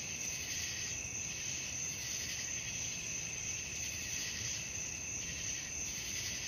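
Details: Nighttime cricket chorus, a shrill unbroken high trilling layered with pulsing chirp bursts roughly every second, faint low rumble behind.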